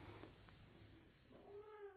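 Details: Domestic kitten, one of two young cats treating each other as mother, gives a soft, drawn-out meow that rises and then holds steady near the end, over a low background hiss.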